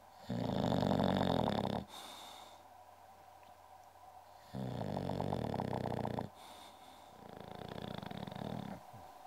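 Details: Goldfinger the English bulldog, nicknamed Uschi, snores in steady cycles of loud, gravelly inhalations with a fluttering rattle, alternating with softer breathy exhales roughly every three to four seconds.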